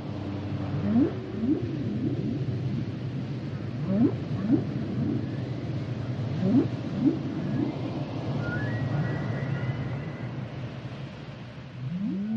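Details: Humpback whale song: quick upsweeping whoops repeated in clusters about every three seconds, then a high thin whistled phrase, all over a steady low underwater rumble.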